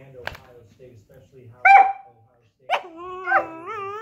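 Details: Whippets singing together: drawn-out whining howls with wavering harmonic tones, a sharp yelp near the start, louder rising and falling howls in the second half, faint human voice.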